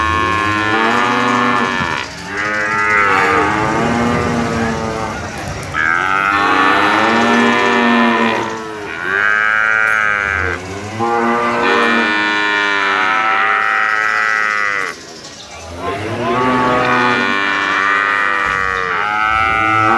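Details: Penned jumbo sacrificial cattle, 500 kg or more, waiting to be weighed; a chorus of strong, bellowing moos rises and falls in long waves with short pauses between bursts.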